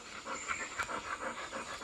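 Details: Labrador Retriever named Golden, a pet dog that has just eaten breakfast, panting softly in quick, even breathy puffs about four times a second, with low household background hiss.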